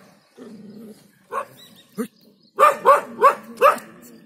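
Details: Dog woken from a short slumber, barking to drive off an inexperienced leopard at the edge of Jhalana undergrowth: faint low murmur and a few soft yelps, then four loud, harsh barks in quick succession.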